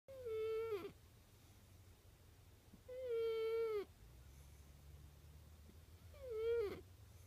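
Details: Sleeping cat snoring loudly, louder than a man: three drawn-out whistling nasal tones, each under a second and falling at the end, recurring about every three seconds over a steady low hum.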